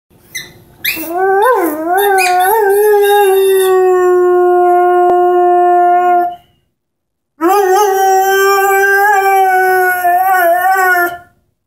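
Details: Ten-month-old Airedale Terrier singing while playing with an orange squeaky ball: a wavering, wobbling howl that settles into a long, steady, harmonic-rich tone, then breaks off briefly before a second sustained howl with slight quavers.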